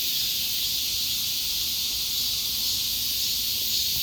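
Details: Brief stretch of a summer cicada's song: an intense, unvarying high hiss-like buzzing that fills the whole clip at constant volume.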